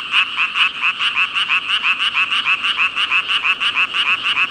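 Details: A dense chorus of frogs, thousands calling together, croaking in rapid pulses around three to four per second, bright and rasping with strong high overtones, steady throughout with no other sounds.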